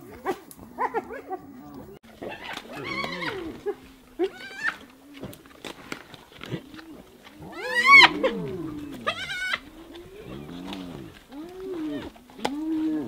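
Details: Hyenas attacking another hyena: scattered groaning calls in short arched bursts, broken by a loud, high, rising-and-falling squeal near the middle and another shrill cry soon after, with quiet gaps between outbursts.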